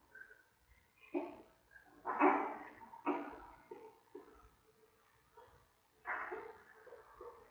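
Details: A newborn giant panda cub on its 22nd to 23rd day, in the den with its mother at a zoo, makes a series of harsh, squawking squeals in short bursts about a second apart, with quieter grunts between them indoors.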